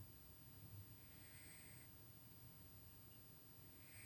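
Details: Tuxie, a pet cat asleep indoors and dreaming, snores steadily: a low, rough rumbling breath throughout, with soft airy exhales around mid-clip and again at the end; no other clear sounds.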